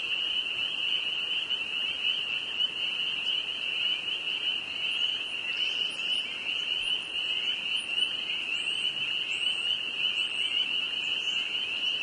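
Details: Spring peeper frogs in northern Vermont calling en masse, their overlapping high whistled peeps merging into one steady shrill ringing that never pauses, with a few faint higher chirps above.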